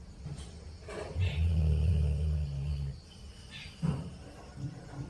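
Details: A Labrador snores once, a low rumbling drawn-out breath of under two seconds, followed by softer breathing noises and faint clicks in a quiet room.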